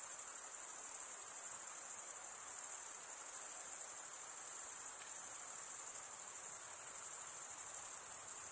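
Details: Chirping crickets, males stridulating with their wings, form a long seamless high-pitched trill with fast shimmering pulses and unchanging volume, no pauses or other sounds.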